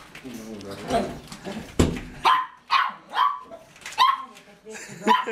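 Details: Dog giving a run of short, sharp barks with a nasal, harmonic ring, about one every second over the last three seconds, following a stretch of human speech at the start.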